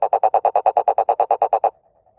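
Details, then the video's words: A loud burst of toad croaking: sixteen fast, regular pulses over under two seconds, then a sudden stop with only a faint soft trill remaining. "Barulho de sapo coaxando"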